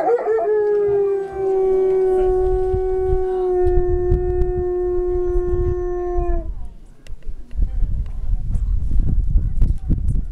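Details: Wolf giving a single steady drawn-out howl that starts slightly higher and settles onto an even pitch for about six seconds, then stops, leaving rustling and handling noise.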